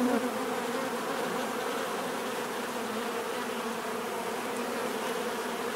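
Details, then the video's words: Continuous bee buzzing opens with a slightly louder close pass, then settles into an even droning hum with a whining overtone. "bees therapy relaxing natural buzzing sound"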